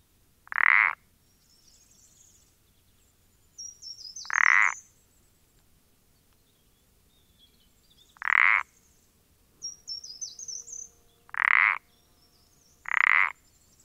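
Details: Common parsley frog (Pelodytes punctatus) on 14-04-20: five short creaking croaks at irregular intervals of roughly two to four seconds, with faint high bird twittering between them.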